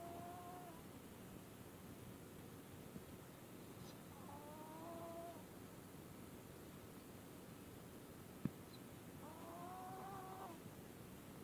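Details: Ruby, a pet dog, snoring while asleep on the back of the couch: three whistled, slightly wavering nasal tones with faint overtones, one each breath roughly every four and a half seconds, over a steady soft indoor hiss with a single sharp click.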